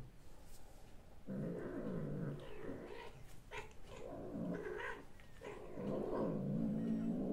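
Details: Domestic cat Marusya, filmed 6 March 2024, lets out a long, low growling moan in several drawn-out stretches with wavering pitch, beginning after a second of quiet and swelling louder toward the end.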